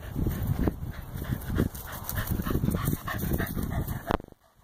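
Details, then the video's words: Corgi playing fetch, panting in quick rhythmic breaths, soft breathy bursts repeating through most of the stretch, then a sharp cut to near silence at the end; low rumbling handling noise underneath. "Corgi playing fetch"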